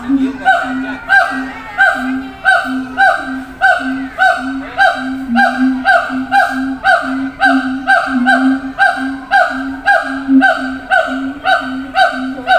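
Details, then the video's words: Captive siamang at a zoo shouting to distant companions in other cages: a regular series of honking booms, roughly one a second, each with a low droning base, continuing steadily throughout. "gibbons sound"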